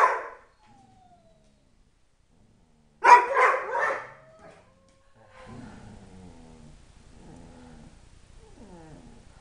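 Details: {'text': 'Three-year-old Dobermann Tyson in a four-dog household gives a brief yelp, then a loud pulsing yodel burst near three seconds, followed by soft, thin, sliding whines that rise and fall.'}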